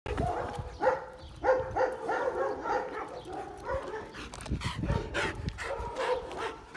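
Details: A single pet dog giving short, repeated mid-pitched barks about once or twice a second, with faint background noise and a few soft thumps.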